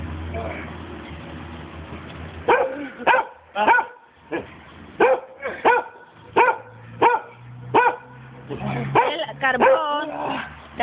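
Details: Giant Schnauzer barking during play, starting after a quiet stretch with low background hum, then a rapid run of about a dozen sharp harmonic barks, ending in higher whiny yelps.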